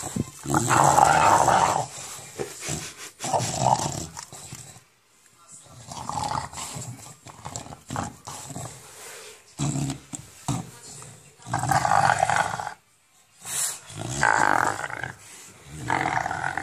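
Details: English bulldog growling while playing with a tennis ball indoors, a monster-like sound in repeated rough bursts with short gaps, some louder and raspier, with light household noise between them.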